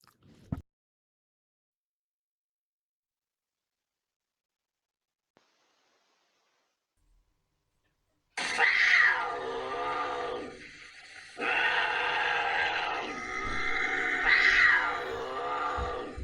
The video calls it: Those are bobcat screams and calls.